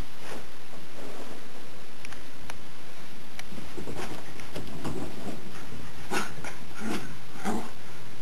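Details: Buddy, a pet Jack Russell Terrier, indoors while playing with a cat: steady rustling and scuffling, then three short, sharp yapping bursts near the end, roughly one every half second to second.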